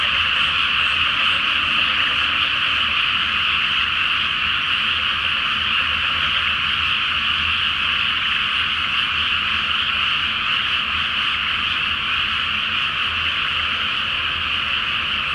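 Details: Great chorus of frogs in a flooded rice field before planting on a full-moon night in Japan; dense overlapping croaking, roughly two pulses a second, continuous and steady.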